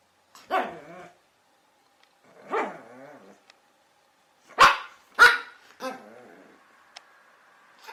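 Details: Chihuahua, the small dog breed, letting out a few drawn-out, whiny barks with growly endings, then two sharp, loud yaps close together followed by softer trailing whines.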